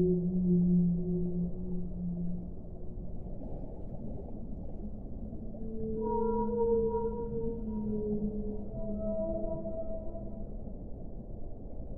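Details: A deep drawn-out whale moan opens, then long smooth tones slide upward and hold at several pitches, overlapping in a drifting chorus over a constant low underwater hiss.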